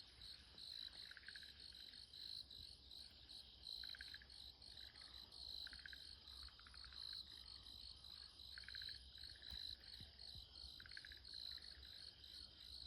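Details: Frog calling from woodland beside the Shiki-no-michi path in Showa no Mori, Chiba City, Japan, at 5:21 on 13 October 2024 in cool autumn weather. About six short pulsed 'turuuru' trills sound every couple of seconds over a dense, steady high insect chorus.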